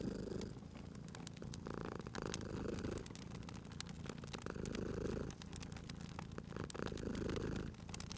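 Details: Cozy fireside purring from a cat, a deep buzzing rumble pulsing in slow breath-paced waves, accompanied by constant popping and crackling of the fire.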